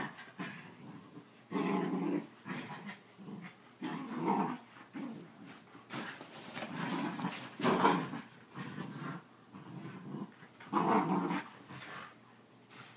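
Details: Two whippets growling during rough play, repeated throaty bursts around two seconds apart, each lasting about a second, with panting and scuffling between them.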